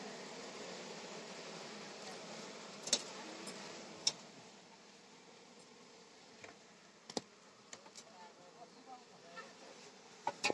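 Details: Honey bees buzzing during honey harvesting at a home in Palpa Rampur: a dense, steady low hum, with sharp knocks and clatter of handling throughout.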